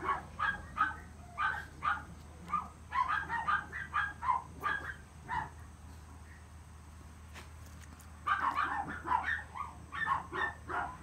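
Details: Young male Chihuahua with a long coat, born 13 April 2018, barks in clusters of short, high-pitched yips separated by brief gaps, with a longer quiet stretch midway before a final flurry; faint constant hum underneath.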